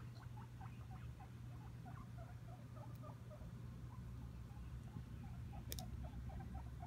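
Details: Several guinea pigs, excited about food, give a rapid scatter of short, high squeaks, overlapping and repeated many times a second, over a steady low hum.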